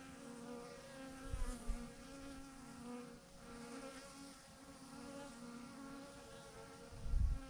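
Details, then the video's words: Honey bees, thousands of them, clumped together on a branch as a swarm; a constant low hum with layered harmonic whine, a few soft bumps and a brief louder rumble near the end. "thousands of BEES hanging on a branch in a massive clump"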